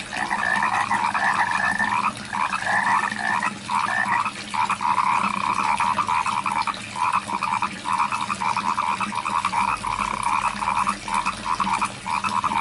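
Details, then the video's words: Rice-field frogs in a crowded chorus, overlapping rattling croaks pulsing steadily with little pause, over a constant background hiss. "SUARA KODOK DI SAWAH | The Sound of Frogs in the Rice Fields"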